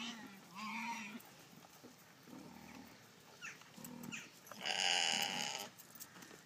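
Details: Golden Guernsey goats at feeding time give several short, wavering bleats, then one louder, harsher, strained bleat near the end, over a low background murmur.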